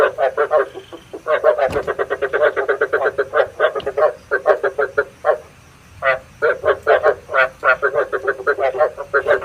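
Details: Lure recording of frogs for night trapping, full of fast pulsed croaks strung into long rattling runs, barely pausing, with one brief gap near the middle before the calling resumes.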